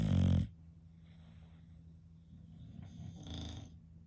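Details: English Bulldog snoring while asleep indoors, in a home with five bulldogs: a loud, rough, low snort at the start, then a quiet hum, then a softer rasping snore near the end.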